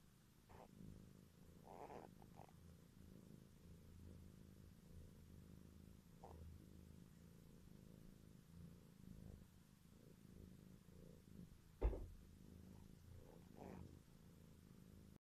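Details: Purring from a family of domestic cats with four kittens born in February 2017, heard in the morning: a soft, steady low rumble running continuously, with a few faint brief rustles and a sharp click near the end.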